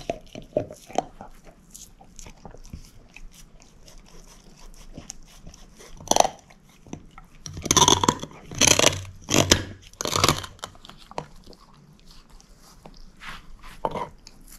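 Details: Moose, a female shepherd mix dog, gnawing a bone: irregular crisp crunches and cracks, loudest in a dense cluster of sharp bursts midway, with quieter scraping bites between.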